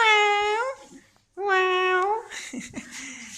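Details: Sundari the dog making a peculiar yawning vocalization blamed on cold weather: two sustained, rising, whine-like tones, then human voices and indoor rustling.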